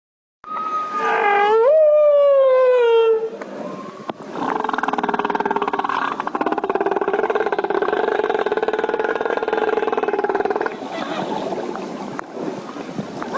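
A whale calls with a clear, loud tonal sweep that slides upward and then falls away. A longer, rough, droning moan with layered overtones follows, fading out near the end.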